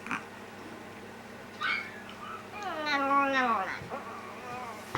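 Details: Indoor pet dog in a home with a Yorkshire terrier and a Maltese, the older sister dog howling in reply to the younger dog's cry: a wavering, harmonic wail that rises then slides downward over about a second, with softer whine notes before it.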